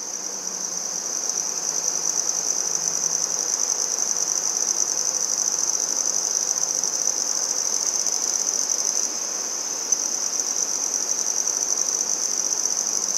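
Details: Sustained, unbroken high trill of a handsome trig, or red-headed bush cricket, in Maynard, Massachusetts on 14 September 2019; one even, piercing tone continues throughout with a single brief click.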